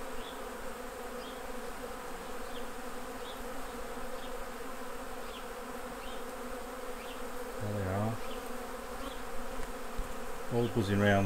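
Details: Honey bees around the hives during a honey harvest give a steady, low, droning hum. The hum holds level throughout, and a man's voice speaks briefly near the end.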